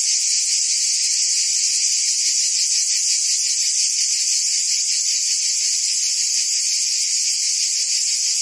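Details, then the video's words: A wall of cicada buzzing from forest trees: a sharp, sustained hiss over a faintly throbbing lower band. The volume is uniform, and no other animals or voices are audible. "Ambient Cicada Sounds"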